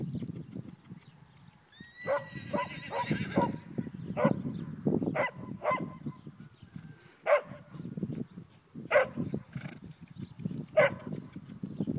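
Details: Ten-month-old foal, a cross of a Pura Raza Española sire and a Thoroughbred dam, on its first day of lunging training. It gives a long descending whinny that breaks into a run of shaky pulses, then short snorting calls, with hoof thuds underneath.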